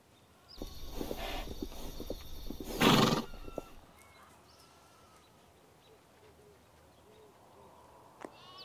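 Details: A horse in a herd of stallions and mares, out on a beach ride, gives a loud, quavering neigh that rises, wavers, then trails off.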